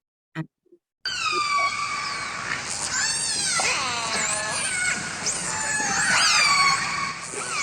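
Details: Killer whales from a Vancouver population, which live in families each with a distinct learned group call repertoire, give overlapping, harmonically rich squealing calls sweeping up and down in pitch, nearly continuous for about six seconds after a brief quiet start.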